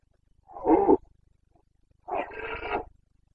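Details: A red deer stag of the Carpathians roars in the Bucovina rut, 29 September 2022: two hoarse, throaty bellows about a second apart, the second harsher and longer.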